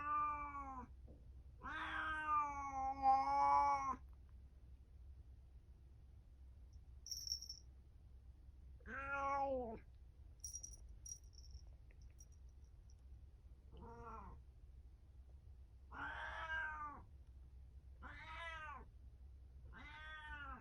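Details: Domestic cat indoors on a cat tower, recorded 17 April 2024, giving about seven separate meows over twenty seconds, some short and others drawn out and wavering, with quiet pauses between them and a low steady room hum.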